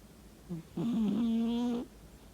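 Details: Kkaebi, a sleeping pet cat, murmurs in its sleep indoors in the morning: a brief faint chirp, then a steady, nasal, humming tone held for about one second before it cuts off. Quiet room.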